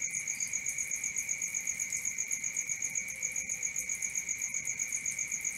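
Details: Cricket at night: a steady, high, ringing trill that never breaks, finely pulsing about four times a second, with a fainter, even higher overtone ringing above it and a soft low hiss underneath.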